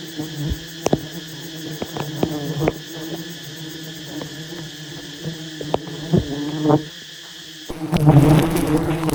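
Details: Disturbed wild honey bees at a huge nest under harvest keep up a low steady drone with scattered knocks, then loud rushing noise swamps the hum near the end.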